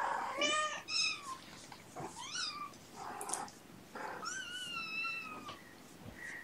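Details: Indoor domestic cats, mother Gamora with her five kittens, on a June morning: a series of varied meows, some rising and bending, others long and flat with bright harmonics, about five calls with faint human voice between.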